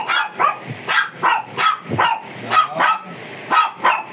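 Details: Shih Tzu described as fierce, barking during grooming: a run of about ten sharp, ringing barks in four seconds, fairly evenly spaced, each with a brief bright onset.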